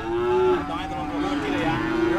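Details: Cattle at the Dimoro cattle market in Blitar during weighing and price haggling: a sustained harmonic moo with a steady tone, then a second, lower drawn-out moo, with market chatter in the background.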